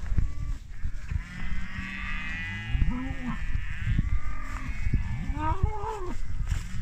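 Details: Group of 25 British Friesian maiden heifers lowing: several overlapping low moos, some rising then falling in pitch, with rustling and knocking in the background.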